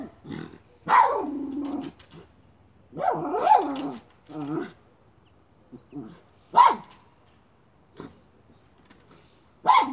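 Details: Miniature schnauzer hunting a chipmunk near a pipe, giving scattered barks mixed with growly, whining sounds and scraping noises, loud bursts every couple of seconds.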